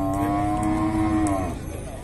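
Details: Cattle at a livestock fair in Tabira, Pernambuco, on 9 October 2024, near a young halter-tame pair: one long, low, steady moo lasting over a second, then fading out over background crowd noise.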